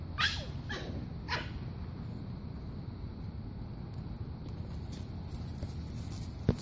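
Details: A brindle male Basenji, born 1 November 2014, gives three short, quick yelps in the first second and a half, then falls quiet.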